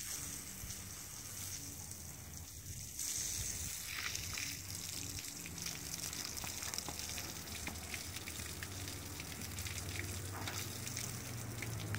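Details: Steady hissing, gushing noise like running water fills the recording, with faint low hum.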